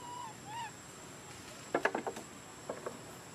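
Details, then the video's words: Baby monkey named Lori crying, frightened by a big monkey: two soft whistled notes, then a rapid burst of four loud, harsh, harmonic cries, followed by two shorter cries. "Poor Baby Monkey Lori Cry Cry - She Scaring Cos Big Monkey Doing Like That To Her"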